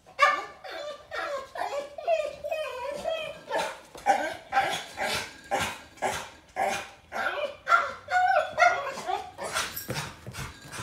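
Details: German Shepherd Boxer mix named Thor, kept indoors from a walk after surgery, whines, talks back and screams: rapid, wavering, harmonic yowls rising and falling about twice a second, with a man speaking to him indoors and faint background music.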